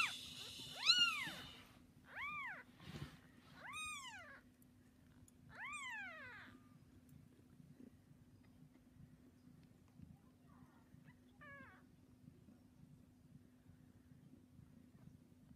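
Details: Bengal cat with 3-day-old kittens; four clear arched meows in the first seven seconds, each rising and falling, followed by near silence with one faint short meow later on.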